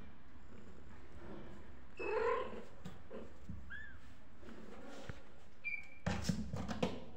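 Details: Kittens crying and calling for their mother: a few short, thin, rising mews. A bright upward-curving mew stands out near the middle. Indoors against a low rumbling background with scattered handling clicks and knocks.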